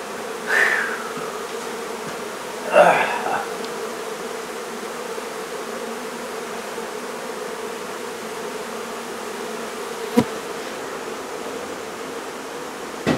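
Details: A honey bee hive being relocated from a barn in La Feria, Texas, gives a constant layered hum of many bees; brief handling noises and a short voice-like burst early on, then sharp clicks near the end.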